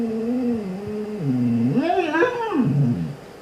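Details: Siberian Husky indoors howling and talking while dog videos play; a wavering mid-pitched voice drifts lower, then swoops up into a brighter rising-and-falling cry before settling low again.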